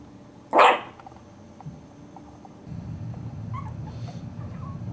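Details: Four-week-old Cairn terrier puppies: one sharp, loud, short yelp, then faint squeaks and a low rumbling background.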